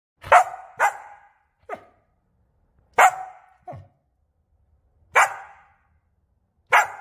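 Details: Samoyed. A Samoyed barks in short, sharp bursts, sometimes two close together, then pauses a second or two before the next. The barks are an invitation to play, in a quiet indoor room.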